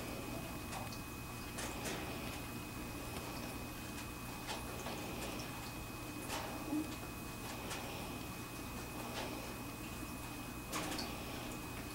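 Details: Indoor room with a low electrical hum, soft ticks and occasional faint clicks, with no animal voice.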